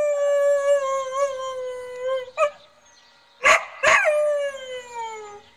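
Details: Border Collie "singing": long sustained tonal howls, steady then slowly wavering and falling at the end, interrupted by two sharp loud barks midway, with a brief quiet gap.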